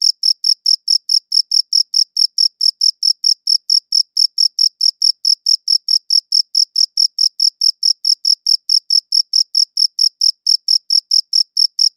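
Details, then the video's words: Sustained cricket chirping: quick, bright pulsed notes repeated about four times per second without pause, high and thin, with nothing else audible. "Cricket Chirping Sounds"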